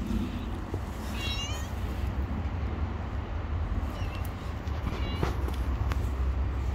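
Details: Stray cat outdoors on a street making several short, quavering meows in quick succession, with a continuous low rumble of vehicles and street noise underneath.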